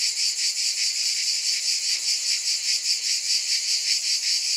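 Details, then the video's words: Steady shrill cicada drone, a bright hissing buzz that swells and fades in regular pulses roughly every 0.4 seconds, uninterrupted throughout. "Scintillating Cicadas 1 hour White Noise"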